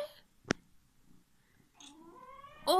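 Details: Male cat wearing a diaper for the first time indoors, a loud vocal cat that calls out for attention; a rising, harmonic meow swells near the end after a sharp click, with a woman speaking softly nearby.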